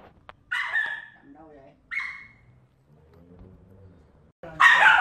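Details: Bony, a pet Samoyed, playing in a sewage pit: a sharp, high yelping bark, a shorter second bark about a second later, then a louder harsh bark at the end, with low human speech in between.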